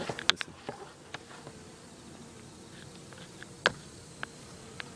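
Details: Agitated Japanese honey bees hum in a steady, droning buzz with scattered sharp taps.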